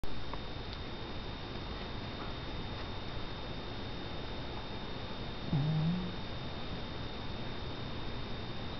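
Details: Domestic cat named JC napping indoors, his snore sounding like a fart: soft low rumbling breaths, then one louder, low, buzzy snort about five and a half seconds in, over a faint steady high electrical tone.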